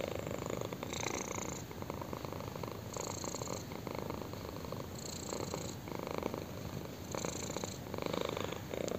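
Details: Domestic kitten enjoying a chin scratch, purring in an unbroken low vibrating rumble, with periodic brushing bursts from scratching roughly every two seconds layered over the purr.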